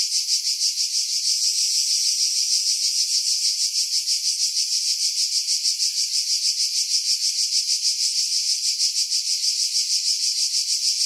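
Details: July 2018 cicadas singing in pine trees over the sea at Pefkos Bay, Skiros Island, Greece: loud, shrill, unbroken buzz throbbing in quick even pulses, about three per second, with no other sounds.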